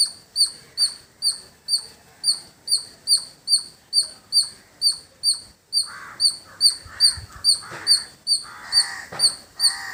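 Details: Squirrel calling in village surroundings: a sharp, high, metallic chip repeated steadily about twice a second. In the second half, harsher lower calls from other birds come in.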